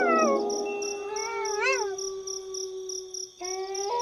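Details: Wolves howling: a falling howl opens, then a long steady tone with a brief rising-and-falling wavering call in the middle and a sudden pitch jump near the end, over soft rhythmic chirping.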